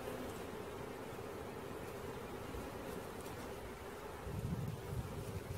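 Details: Bee swarm being caught: a steady, low droning hum holds evenly throughout, with deeper rumbling noise swelling near the end.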